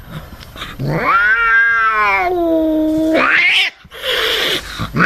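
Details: Angry domestic cat letting out one sustained wailing howl that rises, holds steady for about two seconds and then sinks, followed by a shorter harsh, hissing cry.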